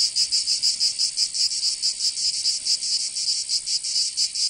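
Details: Cicadas in Provence, southern France, in summer give a bright rasping high buzz, pulsing more slowly and unevenly, with swelling throbs about once per second over a constant hiss.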